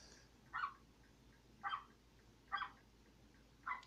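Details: Dog barking: four short, sharp barks spaced about a second apart over a quiet background.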